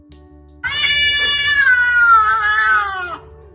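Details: A domestic cat gives a loud, harsh scream lasting over two seconds, starting high and sliding slowly downward; this mating scream is attributed to an unspayed female, the male's barbed penis evidently causing her pain as they separate.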